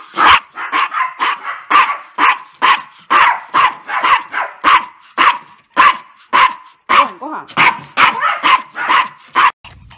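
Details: Maltese dog in a garden, begging for more food from a paper plate, giving a steady run of sharp, high barks about twice a second, each clipped and bright, with barely a pause between them over ten seconds.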